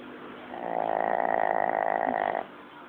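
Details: Sleeping Shih Tzu, apparently named Lao Yun, recorded long ago on an old low-quality phone; one buzzy, rasping snore lasting about two seconds, steady and evenly pulsed, then stops against a faint background hiss.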